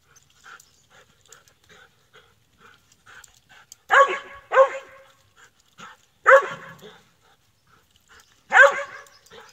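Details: Squirrel dog barking: after several seconds of faint, scattered sounds, four loud, harsh barks arrive at irregular intervals of roughly two seconds, with quiet gaps between them.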